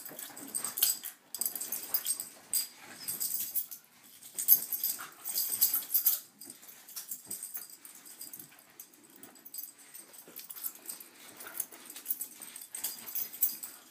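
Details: Corgis, including one named Taziki, brawling on a bed at the start of the day; dense wheezing snorts and hissing scuffles run almost nonstop in a small room, a person's voice asking what they are doing.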